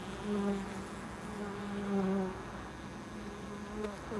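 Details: Bee buzzing near a loading dock: loud low droning hums rising and falling as insects fly close, with repeated swells about every second and a half, set against a constant mechanical hum.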